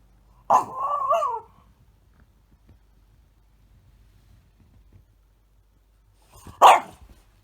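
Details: Small French Bulldog held in someone's arms, whining to demand attention and asking to be stroked. A wavering, nasal whine lasts about a second, then a quiet pause, then a short sharp whimper near the end.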